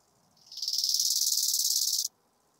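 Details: Chorthippus biguttulus recorded at Hanfeld, Germany, 19 September 2021: a single dry, buzzing stridulation phrase of about one and a half seconds, rising in loudness at the start then holding steady with rapid rhythmic pulses before stopping abruptly; background silent.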